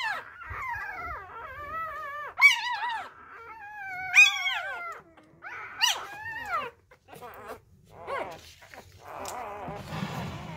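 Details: Hungry newborn Labrador Retriever puppies whose mother has been deserting them whimper in a string of thin, sliding whines that climb then drop, some sharp peaks between, ending in a rougher, noisier burst.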